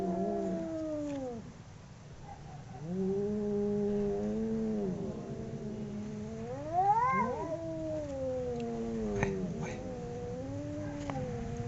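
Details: Two domestic cats howling while fighting: long drawn-out wailing yowls that waver up and down, one rising sharply near seven seconds, over a steady low rumble of background noise.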